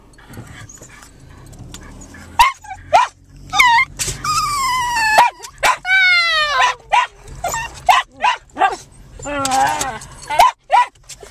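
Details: Rescued 7 lb male Japanese Chin sitting on a lap in a parked car, excitedly talking before a walk while other dogs bark: high, wavering whines and yips, some drawn-out and falling, between short barks and people talking.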